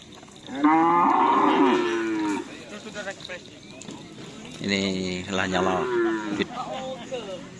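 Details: Cattle at karapan sapi bull racing practice on the Asemanis field in Pamekasan, Madura: two long, loud, harmonic moos, the first bending slightly then fading, the second lower and steadier, with crowd noise and voices between.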